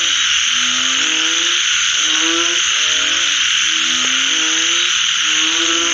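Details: Frogs calling after rain: short rising, tonal croaks with stacked harmonics, repeated in overlapping series from several callers, over a loud, steady, high-pitched droning chorus throughout.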